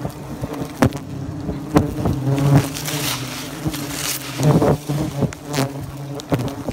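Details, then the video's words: Nest of bald-faced hornets being removed from the soffit of a Great Neck, Long Island, New York home; a dense, droning insect hum that rises and falls, broken by repeated knocks and scraping. "Bald-faced hornet nest removal"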